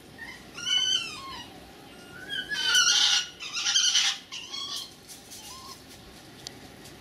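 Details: Two red fox vixens, one younger and one older, greeting one another in a suburban garden: thin whining calls with wavering pitch, then harsh, noisy screeching bursts, then a few softer whines.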